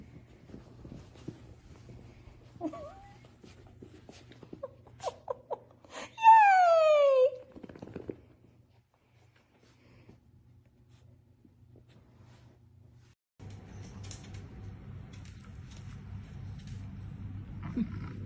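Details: Dachshund, a pet sausage dog indoors, gives a run of short high whimpers, then one long loud falling whine, followed by quiet stretches and a low steady hum.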